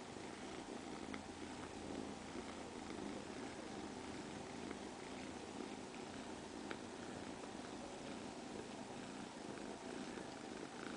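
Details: Ginechka, a domestic cat, purring in a steady, unbroken low rumble lasting the whole stretch, with a few faint soft clicks and no other clear sounds.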